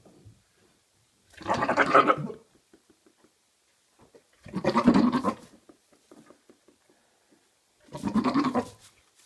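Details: Maine Coon cats, a father and son, giving three long, wavering, goat-like bleating meows roughly every three seconds, each about a second long, with faint soft clicks in the quiet gaps between.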